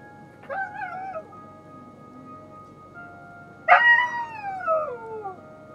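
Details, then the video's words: Dog howling against sustained musical notes: a short, wavering howl, a pause, then a louder, drawn-out howl that slides steadily downward in pitch. "DOG CRYING OR SINGING???"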